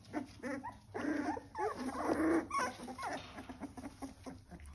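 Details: Litter of three-week-old Welsh Springer Spaniel puppies giving dense, overlapping high squeaks and whimpers, some rising and falling, in quick irregular bursts with brief pauses.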